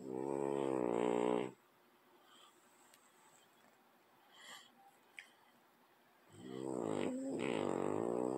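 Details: French bulldog asleep next to a cat, snoring: two long, rough, buzzing inhalation snores roughly five seconds apart, with soft indoor background noise and small clicks between them.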